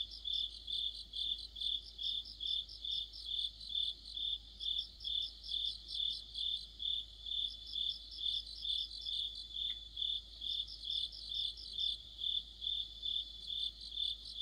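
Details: Autumn sounds of crickets and their insect friends: continuous rhythmic chirping near two beats a second, with periodic bursts of faster, higher trilling and a single brief click.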